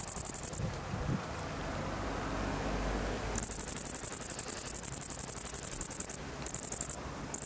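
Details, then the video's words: Tettigonia viridissima song: an opening burst of high, rapid ticking, then about three seconds of quiet background with faint wind, then the shrill pulsed buzz returns in long trains with brief breaks. "Saltamontes verde común (Tettigonia viridissima)"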